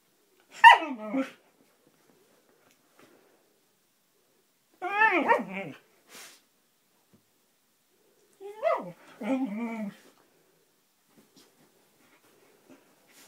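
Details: Roxy, a Siberian husky, playing and vocalizing in three drawn-out bursts about four seconds apart, each a wavering, yodel-like howl sliding down from high to low and ending in lower grumbling tones; the room is otherwise quiet.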